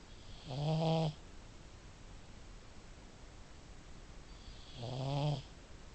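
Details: Sleeping female pug snoring loudly. Two long, low, rasping snores about four seconds apart, each lasting roughly half a second with a buzzy, harmonic-rich rumble, separated by quiet room hiss.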